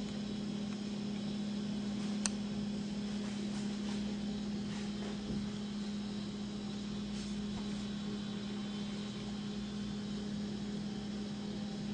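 A steady low mechanical hum with faint broadband hiss and a single sharp click, with no clear animal voice.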